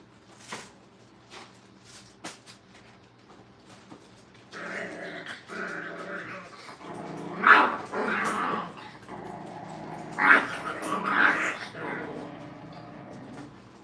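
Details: Brittany puppies in crate and tunnel training at a kennel. After a quiet start with faint clicks, harmonic whining and growly vocal bursts start at about four and a half seconds and rise to louder peaks near seven and ten seconds.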